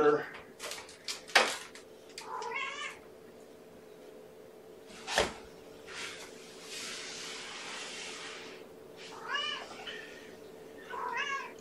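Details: Five young kittens of mother Gamora, born April 14th, in a kennel around breakfast; several short, rising-falling mews come in clusters, the clearest near 2.5 and 9.5 seconds, amid clattering, a sharp knock and a person talking.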